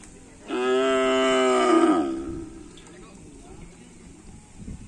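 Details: Karapan sapi racing bull during afternoon training at Asemanis field, Indonesia: one loud, sustained harmonic moo lasting about a second and a half, steady then slightly falling at the end, followed by quiet background.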